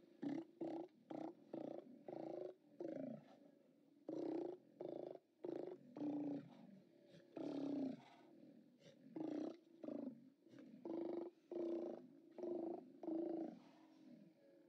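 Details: Steller sea lions hauled out, 29 October 2017: a dense chorus of rough, bellowing roars, over twenty short bursts in fifteen seconds, some overlapping, and the rhythm uneven as several animals call.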